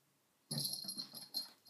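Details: After a moment of silence, Sona, a dog playing with a cushion, lets out a continuous harsh wheezing snuffle, closed by one final sharper breathy burst.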